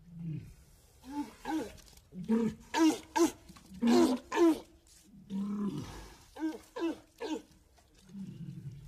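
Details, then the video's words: Walrus vocalizing in a run of grunting, moaning calls, some drawn out and low, others short with wavering harmonics, coming in uneven bursts roughly every half second to a second. "walrus sounds"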